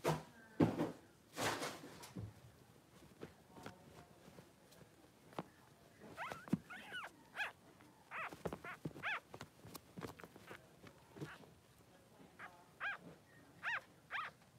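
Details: Three-day-old Blenheim Cavalier King Charles Spaniel puppies, two newborn boys in Pom-Pom's puppy pen, giving short high squeaks in the second half amid soft thumps and shuffling.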